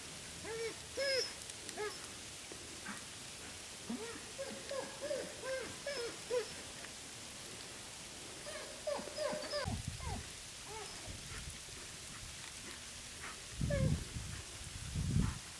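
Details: Wolves at Wolf Howl Animal Preserve playing on a snowy day: bursts of short, rising whines and yelping calls from several animals, often overlapping, with pauses between groups and low thuds near the end.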